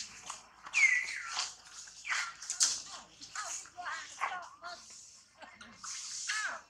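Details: Baby monkey Tobais throws a crying tantrum while its mother Toma treats it roughly; shrill, sliding squeals and screams, several falling in pitch, repeat in broken bursts with little pause between them.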